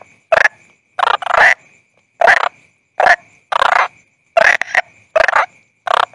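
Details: Croaking of a toad (bangkong): rasping, broadband croaks, some single and some doubled, coming irregularly about once a second, with complete silence between them and a thin constant high whine in the background.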